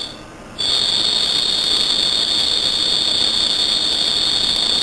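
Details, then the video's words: At night, a cricket's piercing high trill starts after a brief quiet moment, then runs continuously and evenly at close range, with soft hiss underneath. "Cricket chirping"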